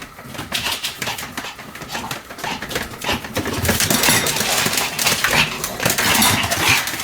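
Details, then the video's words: Pomeranian named Sam, spinning rapidly about 175 times indoors, recorded 1 November 2015; dense run of sharp, high yaps and scuffling, building louder toward the end with little pause between sounds. "ポメラニアン サムちゃんの高速回転 約175回 犬の鳴き声"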